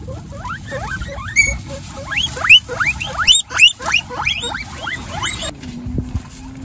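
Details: A pet guinea pig with her young babies gives loud, sharp upward-sliding squeaks, some reaching very high and shrill, in quick irregular bursts; the calling stops abruptly near the end, leaving a low steady tone.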